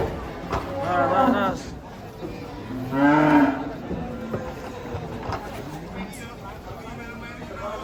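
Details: Enraged bull with a broken horn being unloaded from a truck gives two harmonic, strained moos, the second louder and lower, with faint voices and clatter behind.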